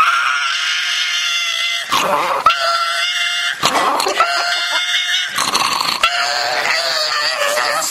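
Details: An angry dog resisting being given ear medicine makes strained, high, long tonal whining growls held a second or more. Sharp, harsh, noisy bursts break in every couple of seconds, never dropping into a deep rumble.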